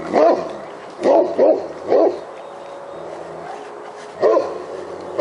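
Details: Roxy the Great Pyrenees barks at a black bear she has chased up a tree near a house; loud, deep barks, a pair close together, then another bark, a pause, and more.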